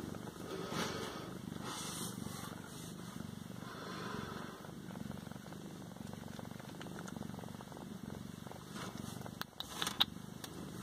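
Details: {'caption': 'Continuous deep purring from one of a pair of Siamese cats, rumbling pulses under short bursts of rustling and a few clicks toward the end.'}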